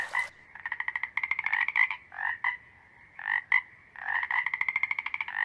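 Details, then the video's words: Breeding-season toad calls from males guarding territory and courting females: long rapid trains of buzzy pulses alternate with short doubled croaks, after a brief noisy burst at the start. "Som do Sapo Coaxando"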